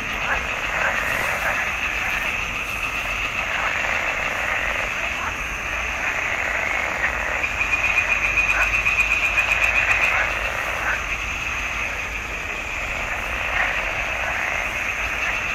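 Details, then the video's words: Pond frogs in a marsh, June 2021, calling together in a thick unbroken chorus of fast rattling croaks, a steady buzzing wall of sound with brief louder bursts along the way. "Il canto delle rane in palude"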